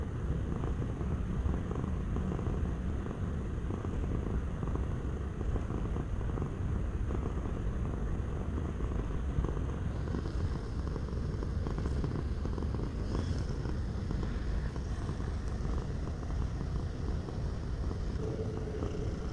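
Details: Low, continuous purring from a domestic cat, a soft pulsing rumble that stays steady for nearly twenty seconds, with faint light clicks and rustles in the second half.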